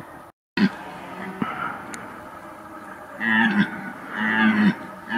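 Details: A red deer stag roars with deep, harmonic-rich groaning bellows during a very intense rut in September 2021, when stags called almost without pause night and day.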